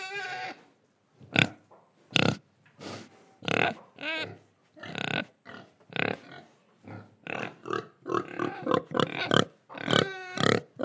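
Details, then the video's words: Indonesian pigs oinking as they breathe and eat: dense, irregular rasping grunts, some with a wavering nasal squeal, coming faster and overlapping toward the end. "Pig Sound Effects Oink Oink, Breathing & Eating"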